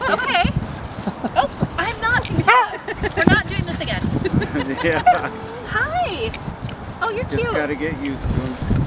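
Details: Pembroke Welsh Corgis at a corgi meet-up in Salt Lake City, Utah, on 22 February 2015 give short, sharp barks and yips among people talking.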